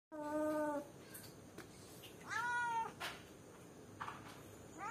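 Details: A cat alone in a cage calling out for someone, giving two drawn-out harmonic meows, the first level and the second rising then falling, with faint softer sounds between them over a low steady background hum.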